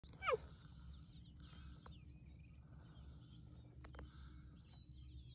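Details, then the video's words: A male cheetah coalition calls to a nearby female, recorded at close range on Thanda Safari in 2020: one sharp, high, bird-like chirp that drops steeply in pitch, then quiet background rumble. "CHEETAH CALLING - WHAT A PITCH!"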